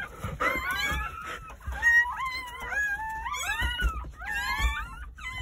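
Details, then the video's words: Newborn Jindo dog puppies at a countryside home, part of a litter of nine born on New Year's Day, crying in high, wavering whines that rise and fall, several overlapping, with soft thumps below. "새해첫날 시골집 진돗개 9마리 출산했어요 새해 첫 우렁찬 울음소리와 함께 새생명이 탄생"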